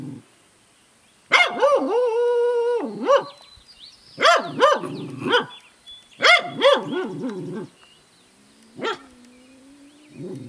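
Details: A female Welsh Corgi, bemused by a new barn kitten, gives high, wavering, yodel-like barks in quick bursts while a person tells her to be quiet.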